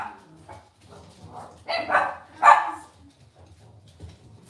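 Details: Cavalier King Charles Spaniel puppies in a home pen: soft murmuring noise, then two loud, high yelping barks half a second apart, followed by low background rumble and rustles.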